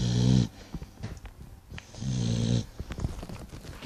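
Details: Pet dog asleep, two brief low snorting snores separated by a quieter stretch of rustling and soft clicks.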